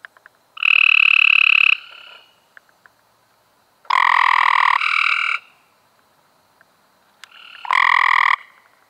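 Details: Cope's gray treefrogs calling in May 2016: three loud, grating trills of one to one and a half seconds each, the middle one overlapped by a second caller, with short silences between.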